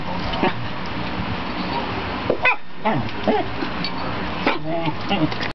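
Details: A Welsh Corgi at play gives short, sharp barks and yips, with a person talking in the background.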